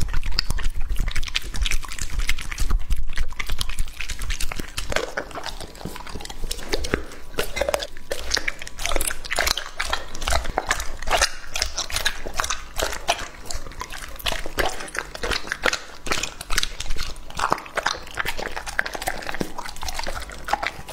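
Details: Lucky, a two-and-a-half-year-old male English-type Labrador Retriever, eating raw meat indoors in close-up: dense wet crunching and biting clicks, steady chewing throughout with brief pauses, in a small quiet room.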